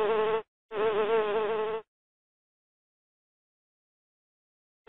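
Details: Bee buzzing: a short burst and then a longer buzz of about a second, with a steady, slightly wavering tone. Silence follows, and a new buzz starts at the end.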